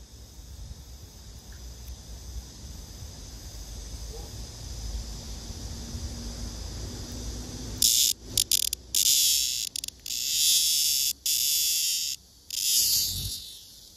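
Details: Captured male blackish cicada paired by hand with a female and buzzing when disturbed: quiet background at first, then from about eight seconds a series of loud, harsh, high buzzing bursts separated by short gaps.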